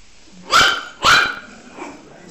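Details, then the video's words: A puppy gives two loud, sharp barks about half a second apart, followed by a faint softer yip, against a quiet background. "Puppies Barking Compilation - Cute Dog Barking Videos"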